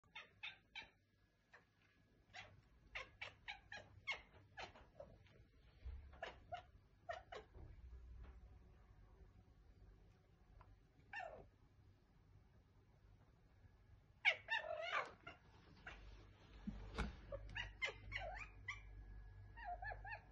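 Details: Pet tomcat indoors vocalizing in bursts of short, chirpy meow-like calls with bright upper tones, a quieter stretch mid-way, then a lively run of repeated meows toward the end; low room hum underneath.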